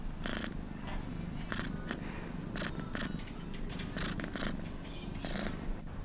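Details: Domestic cat purring: a steady low rumble runs throughout, broken by frequent short breathy bursts of broadband noise roughly every half second to second.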